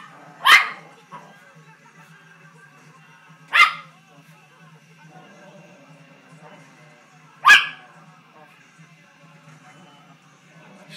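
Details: Poodle barking at a bull on the TV: three sharp single barks spaced about three to four seconds apart, with quiet room hum between them.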